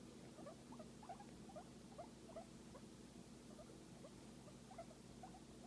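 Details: Massaged guinea pig producing soft, fast, low-level chattering squeaks throughout, small rising notes in uneven clusters, partly masked by a constant droning hum.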